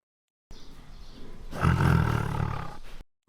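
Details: Tiger roar: a low, breathy rumble that swells after a second into a deep, loud, gravelly roar lasting over a second before fading out.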